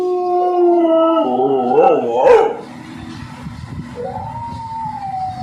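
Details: American Pit Bull Terrier howling: a steady held tone breaking into wobbling, yodel-like notes, a short pause, then a new higher howl beginning, with background rumble.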